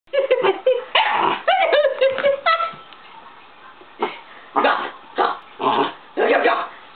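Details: Elderly Shiba Inu making a commotion indoors when a long-closed door opened: high, whiny, wavering yelps for about two and a half seconds, then a pause and four harsh, rough barks roughly half a second apart.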